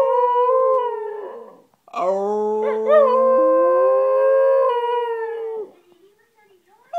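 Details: Westie dog howling in long sustained tones, one phrase sliding up with a wavering middle section and harmonics stacked above, ending in a falling tail and a short pause before another howl begins.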